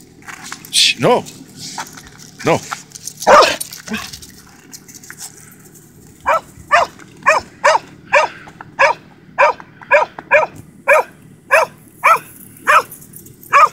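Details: Pies, a dog, talks back excitedly as his run begins. After a few seconds of human voices, a steady run of sharp, yelping barks follows, about two per second, roughly seventeen in all.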